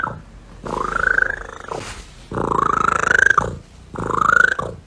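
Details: Domestic cat giving three long, drawn-out meows, each rising slightly and wavering before falling, roughly one every one and a half seconds, with a short noisy burst between the first two; quiet indoor room.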